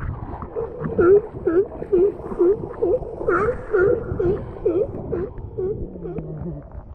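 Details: Galapagos sea lion underwater at La Loberia beach, Galapagos, chasing a snorkeler out of the water; a train of short, tonal V-shaped calls repeated about twice a second, with faint higher overtones and bubbling water below.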